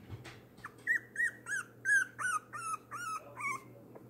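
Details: Three-week-old foster puppy weighing one pound, voicing displeasure at being put back in his pen after feeding: a run of about ten high, strained whining yelps, each bending down in pitch, roughly three per second, over a steady low hum.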